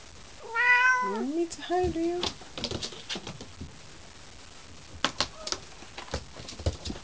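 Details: Ocicat kittens about a month old playing peek-a-boo: two short, high mewing meows in the first two seconds, the first rising and falling with bright harmonics, then scattered soft thumps and knocks from play.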